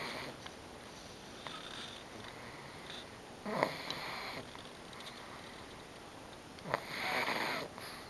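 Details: Bobby, a female Pug, asleep and worn out after spending 24 May 2009 at grandma's house, refusing to wake when teased; two broad rasping snore bursts, the first near the middle and the second toward the end, above a quiet indoor background.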